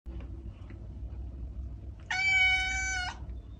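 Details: A domestic cat gives one clear, drawn-out meow lasting about a second. It is a steady, rich, even-pitched tone that stops abruptly, over a low, constant hum. The sound is used to attract cats.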